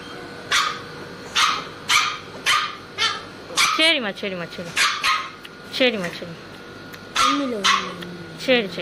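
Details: Labrador Retriever puppy afraid of its vaccination injection, crying with repeated sharp yelps about every half second mixed with longer wavering whines that slide downward, over a constant low hum.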